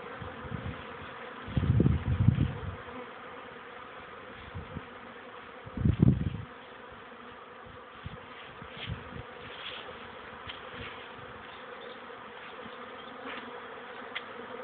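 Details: Young honey bees taking first flights outside a hive, 13 May 2013, early afternoon turned warm after rain: continuous massed buzzing drone, interrupted by a couple of low thumping rumbles of wind or handling around two and six seconds.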